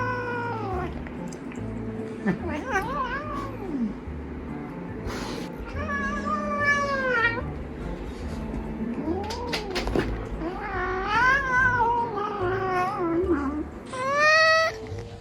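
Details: A Maine Coon cat teasing another cat gives a run of long, wavering meows and yowls with rising and falling pitch.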